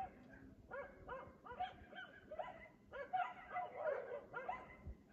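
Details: Nightly 3 AM barking from a dog in Aliseda (Los Galaperos) whose owners sleep through it; a steady series of single barks about twice a second, briefly running together near the middle.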